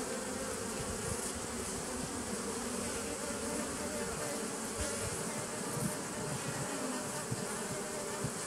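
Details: Bees of a nucleus colony set up in 2017, recorded on 27 September 2018: dense, continuous low droning hum with steady tonal bands and rough flickering texture throughout, with no pauses.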